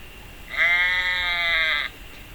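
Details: Icelandic sheep, one of the settlement-era livestock breeds of Iceland, giving a single drawn-out bleat of about a second and a half. The bleat is steady, nasal and rich in harmonics, set against a quiet background.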